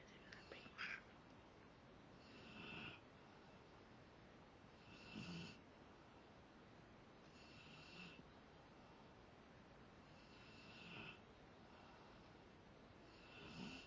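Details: Rottweiler asleep, giving slow, raspy, breathy snores about every two and a half to three seconds; a brief murmur of a human voice at the very start, otherwise quiet room.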